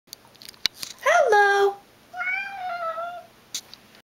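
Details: Siamese Manx cat mimicking a spoken hello: two drawn-out meows, the first a bright rising-then-falling cry, the second a longer, lower wavering call, with light clicks and room noise around them.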